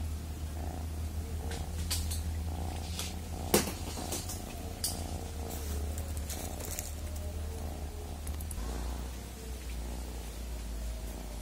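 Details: Domestic cat purring: a steady, deep, low rumble that continues without a break, with scattered light clicks and taps over it.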